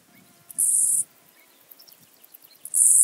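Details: At Illmitz, Austria, on 21 July 2021, a two-coloured grasshopper gives sharp, high, hissing buzzes, each about half a second long, about two seconds apart. Faint low rustling and soft scattered ticks sound between them.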